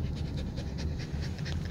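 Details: Samoyed named Lucky panting rapidly in quick, even breaths, several per second, over a steady low rumble.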